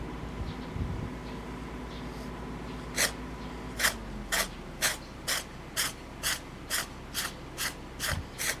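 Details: A cat, filmed while being recorded, that suddenly breaks into a fit of intense sneezing with mucus flying. Low rustling comes first, then from about three seconds in, short sharp hissing bursts repeat roughly twice a second.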